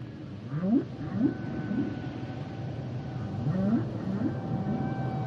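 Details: Song of humpback whales: a quick run of five or six short rising whoops, a pause, then another matching series, with a faint steady whistle held above against a low underwater hiss.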